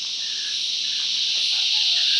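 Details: Cicadas filling the bush with loud song: a dense, steady high-pitched buzzing drone that swells gradually louder across the clip, with faint bird notes beneath.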